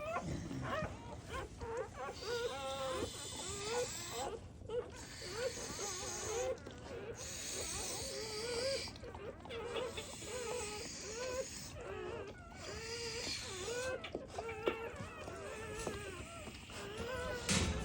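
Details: Newborn black Labrador Retriever puppies from a mother's first litter, some needing revival with emergency CPR. Thin, wavering, high squeals repeat in quick bursts with short gaps, and a background hiss runs throughout.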